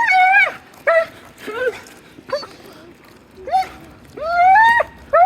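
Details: A dog's strange, voice-like whining: tonal, bending yelps and drawn-out rising whines with strong overtones, separated by brief pauses.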